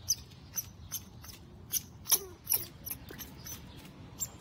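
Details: A squirrel perched on a wall with lots to say: sharp, high squeaky chirps repeated roughly every 0.4 seconds, about eleven in a row, with an uneven rhythm and a quiet background.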